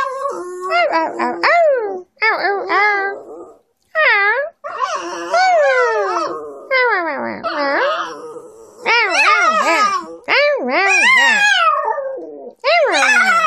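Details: Grumbling and yowling, a 9-year-old female dog protests a recent face trim around her eyes and nose with a long run of short, quavering, up-and-down howls and whines in quick succession, broken by brief silences.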